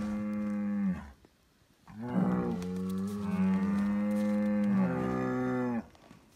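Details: Noisy Highland cattle bull on a Finnish farm moos while given bread: a brief moo, a pause, then a long sustained lowing of nearly four seconds with a rough start and a steady deep tone.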